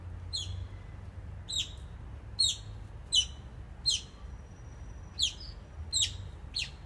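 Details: Oriental small-clawed otters at Copenhagen Zoo building a nest, recorded 17 November 2016: sharp high chirps, each falling in pitch, repeated roughly every second at an uneven pace, over a low steady hum.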